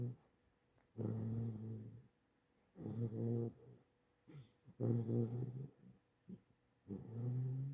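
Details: Sleeping chocolate Great Dane puppy, eight weeks old, dreaming indoors after walks in the yard: deep, rough, growly snores, each about a second long, repeating roughly every two seconds with short soft breaths between.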